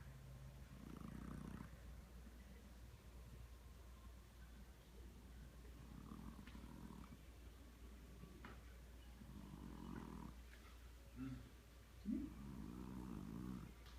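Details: Snoring domestic cat, low buzzy rasps in irregular breaths across the recording, with a couple of short higher squeaky sounds near the end.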